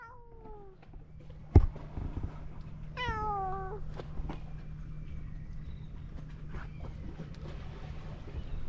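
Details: Cats rolling about on a seaside road; two clear harmonic meows, the first falling at the start, the second longer and descending near three seconds, over a steady low hum of outdoor background noise.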